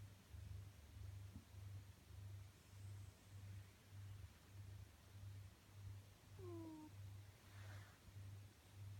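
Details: Snow, a domestic cat, snores while asleep, giving low, even rumbles that repeat just under once a second. A short descending squeak-like note cuts in near the end.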